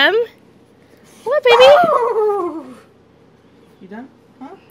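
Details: Boxer dogs Emma and Wyatt play fighting indoors; a loud, sharp whining yelp rises then slides downward over about a second, followed by a pause and two short, soft whimpers near the end.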